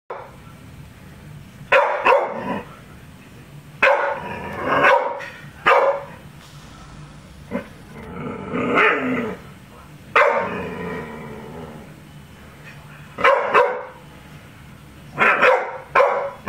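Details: Pet dog named Charly, a female, barking at balloons in sharp repeated bursts, roughly one to three seconds apart, some with a growling edge, with quiet gaps between the outbursts.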